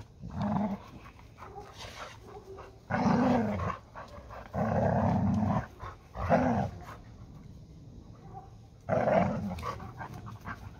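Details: Play fight over a ball between Málna and Ede, a Labrador Retriever and a Hungarian Vizsla; repeated deep, rumbling growl bursts, some lasting over a second, with softer rustling and panting between them.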